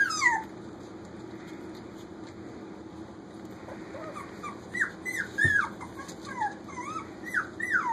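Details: Puppies almost four weeks old playing in a kitchen, giving high, thin whining squeaks that rise and fall, several overlapping in quick bursts during the last three seconds, over a steady low indoor hum.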